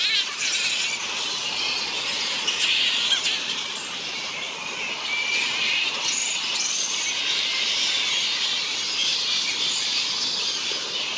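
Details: Large colony of grey-headed flying foxes, NSW Mid North Coast: many overlapping shrill squeaks and screeches form a steady, unbroken high-pitched din, with occasional louder squabbling bursts standing out from the mass.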